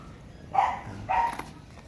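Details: Ja-kol, an American Bully photographed outdoors in Pasita, gives two short, rough barks spaced about half a second apart against quiet background noise.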